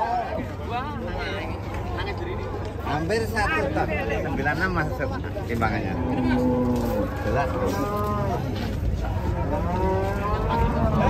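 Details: Huge Qurban sacrificial cow being unloaded from a truck before a watching crowd, giving low, sustained moos, one long bellow around the middle, mixed with constant overlapping talk and shouts from people nearby.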